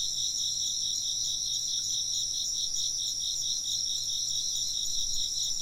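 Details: Insects chirp together in an even, shrill wall of sound. A lower band throbs in rapid pulses while higher tones hold steady, and a quiet low hum sits beneath without pause.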